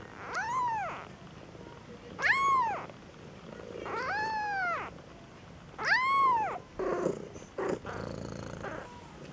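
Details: Displeased two-week-old Maine Coon kitten at a Saint Petersburg, Russia cattery cries four loud, high, arching meows spaced about two seconds apart, followed by soft grunting sounds.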